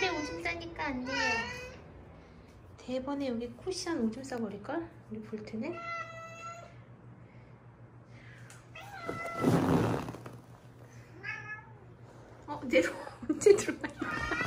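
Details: Rescued Haeundae street cat, part of a mother-and-daughter pair injured in a traffic accident, meowing indoors. Several short, wavering meows come in quick bursts, then one longer, steadier meow. A human voice talks over the calls, with a loud rustle near the middle.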